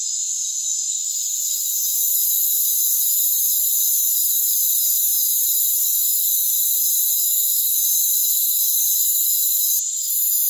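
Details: Crickets calling in a rainforest: an unbroken, dense high-pitched shrilling chorus of many insects, several steady layered tones running without pause the whole way through, with no low sounds, voices or other animals heard.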